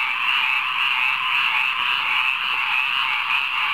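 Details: Midnight frog chorus in a rainwater pond: many callers blend into a continuous, buzzy trilling wall of sound with a gentle, fast rhythmic pulse throughout.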